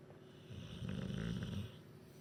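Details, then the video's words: Duke the bulldog snoring in his sleep after a chicken curry, Huddersfield: one deep, rumbling, low snore about a second long, rasping on the inhale, in a quiet indoor room. "Huddersfield, snoring, farting, bulldog. Epic snorer"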